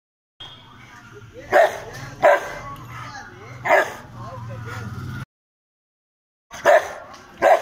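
A Rottweiler gives deep, forceful single barks spaced unevenly, an angry guarding warning.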